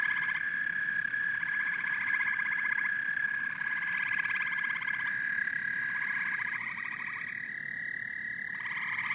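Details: Amphibian chorus of frogs and toads: a continuous high trill overlaid by bursts of coarser, rapidly pulsed croaking that come and go every couple of seconds, several callers overlapping.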